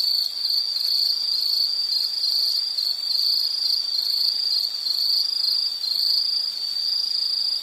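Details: Insects singing as a calming nature background: one dense, shrill, sustained trill that swells and dips slightly about every second, layered over a soft high hiss of more distant insects.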